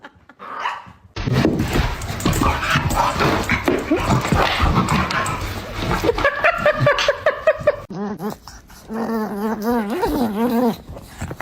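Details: Pet dog in a funny compilation: after several seconds of loud broadband clatter and noise, a wavering, harmonic howl-like whine undulates up and down in pitch in repeated bursts near the end.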